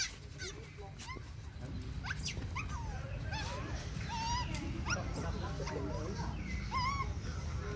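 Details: Baby monkey crying for its mother's attention during breastfeeding: thin, wavering whistled cries, some arched and some rising, scattered among clicks and rustles over a constant low rumbling background.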